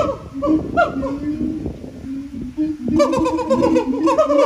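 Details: Siamangs in song at Japan Monkey Center, their throat sacs boosting the volume: a run of clipped barking hoots, a short lull of lower steady tones, then a dense burst of quick, loud, bouncing barks.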